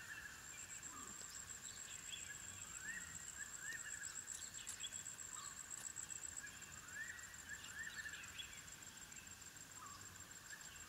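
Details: African wild dog puppies at their den, giving a series of thin, arched whines that rise and fall, some in quick pairs, over a steady high insect drone with scattered bird chirps.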